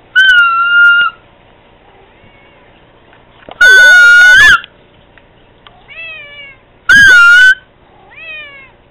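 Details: Domestic cat meowing to Candy: a steady tone opens, then two loud, harsh, clipped meows that bend up and fall back. Quieter rising whistled tones sound between them.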